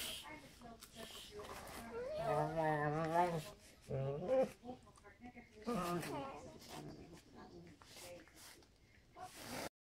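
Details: Two dogs, a Black and Tan and a Weimaraner, play-fighting indoors all morning; drawn-out, wavering growls and whines in bursts at about two, four and six seconds, with a person speaking in between.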